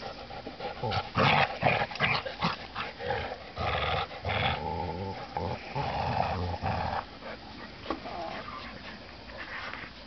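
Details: Two dogs, a Golden Retriever and a Rottweiler, tug a toy back and forth, growling throughout. Gravelly growls swell and fade irregularly amid scuffling and panting, then grow quieter toward the end.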